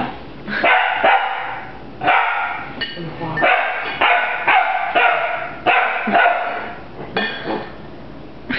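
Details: Young dog attacking a broom with rapid, harsh, high barks and growly yaps in repeated bursts about every second, mixed with broom scraping and household noise.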